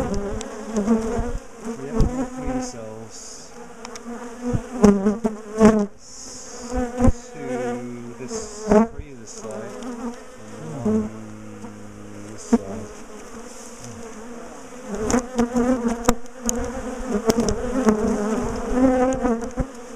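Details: Loud buzzing from a large, defensive colony in a top bar hive being split and moved from a garden, a dense humming drone with scattered knocks, scraping and low tonal noises from the work on the hive.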